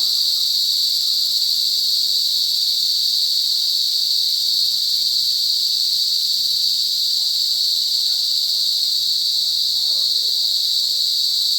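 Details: Loud forest cicada chorus, an unbroken shrill buzz sitting high and level throughout, even in loudness, with no other distinct sounds rising above it.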